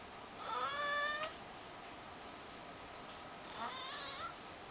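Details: A Ragdoll cat begging, following its owners and asking for something, gives two pleading meows, the first long and rising, the second softer and shorter.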